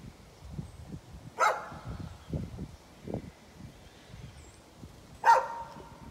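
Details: A neighbor's dog barking, recorded 11-13-2020. Two single sharp barks about four seconds apart, separated by low dull thumping sounds in the background.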